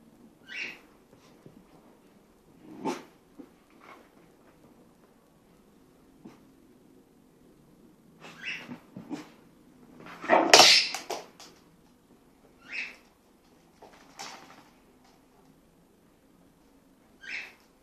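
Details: Mason, a Patterdale Terrier, in a sneezing fit during play with Jake, an American Bulldog: short, sharp, breathy bursts at uneven intervals, a few soft and one much louder snort-like burst near the middle, with quiet snuffling between.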